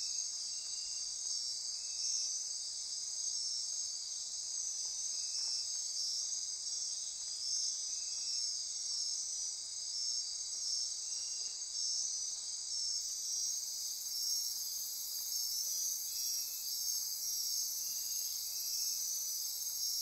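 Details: Midnight rainforest on Costa Rica's Osa Peninsula, near Corcovado National Park, filled with insects: continuous shrill trilling and buzzing layers, plus a lower pulsing chirp recurring at intervals, with an extra hiss band joining in partway.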